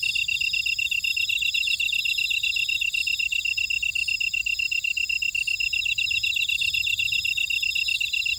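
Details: Buckwheat-field insects of Ora-dong, Jeju, South Korea: loud, even, high-pitched pulsed chirps at a steady pace, with overlapping trills and faint higher buzzes forming a layered, continuous night-field chorus.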